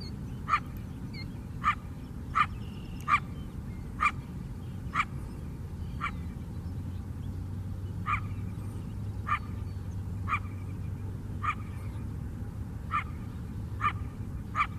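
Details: Coyote on Chicago's south side lakefront, a wild animal in the city, giving a steady series of short barks spaced under a second apart, somewhat distant, against a deep droning traffic rumble.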